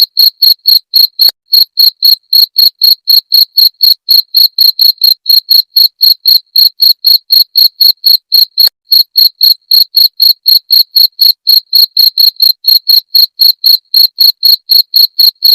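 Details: Jangkrik genggong cricket, its call used as a rat deterrent, producing rapid, metallic high-pitched pulses at about four per second, steady and uniform throughout, with nothing else audible.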